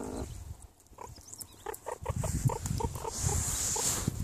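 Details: Meerkats eating give soft, rapid grunting chirps, several a second, over low crunching sounds of chewing.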